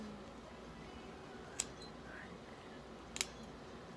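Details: Quiet indoor room at a veterinary clinic during grooming of a Maine Coon cat, with two brief sharp clicks like scissors or a camera and faint background hum; no animal voice heard.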